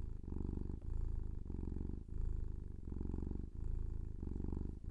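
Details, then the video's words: Low, rumbling purr from a pet kitten, coming in even breath-length bursts separated by brief dips, steady and quiet. "Kitten Purring"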